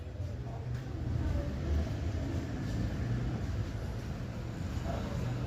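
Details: A steady low rumble like passing traffic fills the recording, with faint muffled speech and no animal voice.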